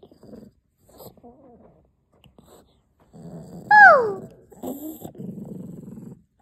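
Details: Puppy Shasha, strongly possessive of her chew, growls in low bursts, then lets out a loud high whine that slides downward, followed by more rumbling growls.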